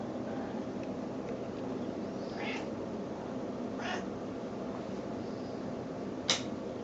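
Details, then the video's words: Pet snowshoe cat, female, voicing baby-like sounds when she expects her meal: three brief, thin mews about a second and a half apart, the last sharp and high, against constant low background noise. "the snowshoe cat making sounds like a baby"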